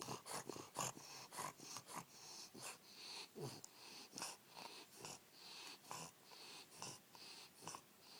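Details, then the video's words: Wally the Bulldog asleep and snoring in a small room, a steady run of wheezy, snorting breaths about once every half second, hissy and high with faint low rumbles. "Wally Bulldog snoring"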